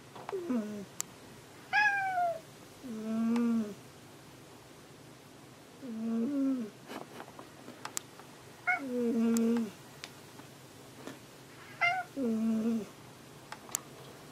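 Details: Domestic cat Hanu searching for another cat, Monaka, indoors: repeated meows, some short and low, others higher and drawn out with falling tails, about every two to three seconds, with occasional clicks and soft knocks between calls.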